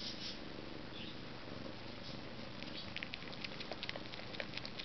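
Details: Purring from a pair of Maine Coon cats, one pure white: a pulsing low rumble holds steady while faint ticks and tapping sounds grow busier toward the end.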